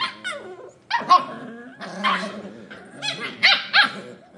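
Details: Scottish Terrier puppies at play. A mix of rumbling growls and high, strained yaps comes in uneven bursts, with several puppies seemingly overlapping in a noisy scuffle.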